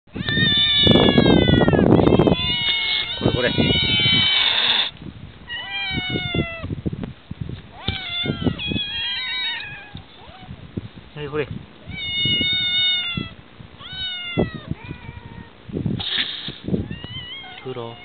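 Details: Several barn cats that live in a ranch barn on Yonaguni, Japan, meowing repeatedly. Rising and falling meows overlap from more than one cat, with a burst of loud rustling noise over the first five seconds and voices now and then.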